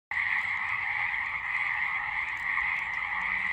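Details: A dense, loud chorus of frogs in a spring swamp or marsh, possibly near Lake Tahoe in March 2022, forms a steady, buzzing wall of sound.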